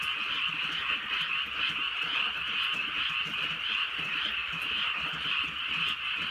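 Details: Frogs calling at night in the countryside during light drizzle, a dense, unbroken chorus of high, rapid trilling croaks layered into a steady shimmering wall of sound, with soft rain patter beneath.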